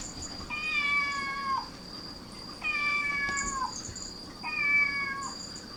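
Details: Cats crowding toward a cat's meowing. Three clear, harmonic meows of about one second each, held fairly level and falling a little at the end, repeated roughly every two seconds over a constant thin high-pitched hum.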